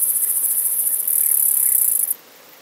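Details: Myrmeleotettix antennatus, the long-horned club grasshopper, in Nesvady, Slovakia, 23 July 2023, giving a thin, very high, rapidly pulsed hiss that swells briefly, then stops abruptly after two seconds, leaving near silence.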